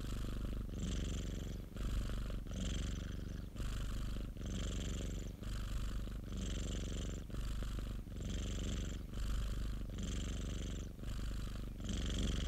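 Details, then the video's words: Close recording of a domestic cat kept by an acquaintance, purring continuously: a rattling deep drone alternating with hissy breath phases roughly every second, a regular in-out rhythm sustained throughout. "고양이 골골송 ASMR 1시간(고양이 그르릉 소리) - Cat purring ASMR"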